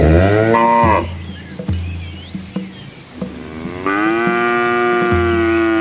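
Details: Village cattle and calves on a country road in Asia: a short moo, a quiet gap with soft clicks and knocks, then a long steady moo that holds to the end.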